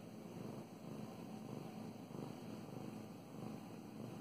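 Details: Pet cat Mow Mows purring as she is petted; low, continuous rumble with gentle rhythmic swells, close to the microphone, with soft stroking noise.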